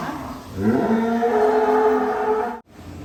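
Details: One sustained moo lasting about two seconds, rich in harmonics, from cattle kept in a thousand-head barn at Sumber Ternak Farm. It ends with a brief dropout, then quiet barn noise.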